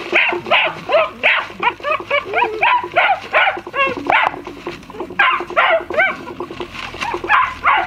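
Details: Black-and-tan German Shepherd puppies, a brother-and-sister litter, yelping in quick high-pitched bursts, several per second, each cry bending down at the end, steady and insistent throughout.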